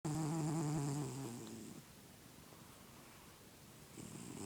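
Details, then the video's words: Healthy male house cat snoring in his sleep: one low, rasping, steady-pitched snore lasting over a second, a quiet pause of breathing, then the next snore beginning at the end. "My snoring Cat"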